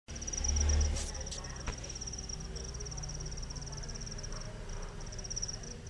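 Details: Cricket chirping as it rubs its wings, a steady high pulsed trill running throughout, briefly interrupted by a few clicks and a low thump near the start, with low background rumble.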